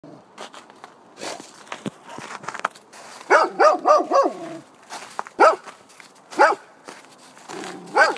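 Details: A Golden Retriever barking at a snowman gives a quick run of four barks, then single barks spaced about a second apart.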